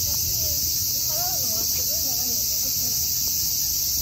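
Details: Cicadas give a loud, steady, high-pitched buzz that runs unbroken throughout, with faint low voice-like sounds beneath it.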